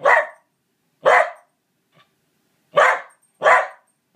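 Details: A Pembroke Welsh Corgi barks at a stuffed corgi on a bookshelf: loud, sharp, harsh barks spaced about a second apart.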